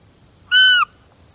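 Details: Roe deer call: a single clear, high, nasal, plaintive squeak dropping slightly at the end, the doe's call, imitated with a grass blade, that draws bucks out of the woods from July for about a month.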